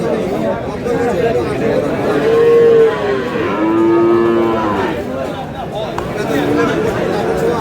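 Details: Friesian and cross-breed bull calves at Aftabganj market, Dinajpur: short, level moos rise out of the market din, two of them close together midway and a fainter one near the end, over steady crowd talk.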